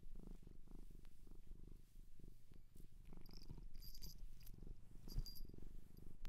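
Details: Domestic cat from a Japanese shelter purring steadily, a deep pulsing rumble rising and falling with breathing, while faint high tinkling clicks appear in the middle and later seconds.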